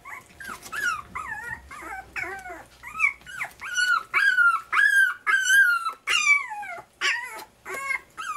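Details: Puppies at dinner time, day 23, indoors: high whining yelps and squeals rising and falling, many overlapping in a rapid, irregular chorus of about two calls per second.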